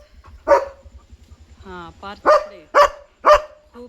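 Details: Pet German Shepherd barking at night because a dog is outside in the dark. One loud bark, a pause while a woman speaks, then three quick sharp barks close together.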